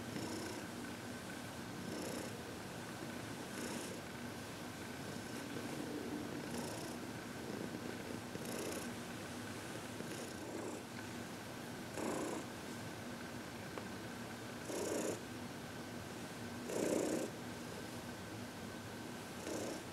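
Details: Happy senior cat Heidi, 14, purring through massage and reiki in February 2021; a long steady low purr with occasional soft rustling bursts from handling.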